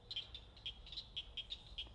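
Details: Small frogs peep in a lively chorus by a lake with lily pads at a South Carolina campground, with mosquitoes about; brief, high, pure notes several times a second from multiple callers over a faint low rumble.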